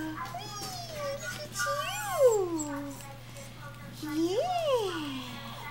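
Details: Three-week-old red toy poodle puppies from Praline's litter, sired by a red teacup show dog; high, wavering whines that swoop up and down in pitch, three drawn-out cries over a steady low hum, with a woman softly cooing to them.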